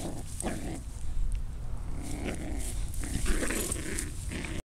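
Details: Australian Shepherd and Yorkshire Terrier playing tug of war, little Zeta taking on her big sister Evulett; low rough growls rumble under steady background noise, with short scuffling bursts throughout.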